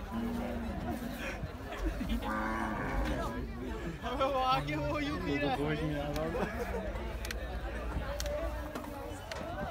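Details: Bulls and cows being unloaded at the Sohrab Goth cattle market (Cow Mandi) in Karachi ahead of Bakra Eid. Low, drawn-out moos rise and fall amid busy human chatter, shouting and general market bustle.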